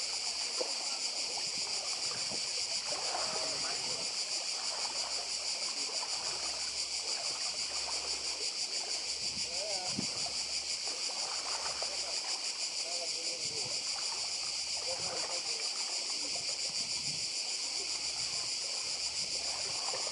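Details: Cicadas on Badija island, Croatia, by the sea: a dense, shrill, unbroken buzzing chorus with a fine rapid pulse holds steady for the whole stretch, over a soft wash of sea and scattered low splashing and knocking sounds.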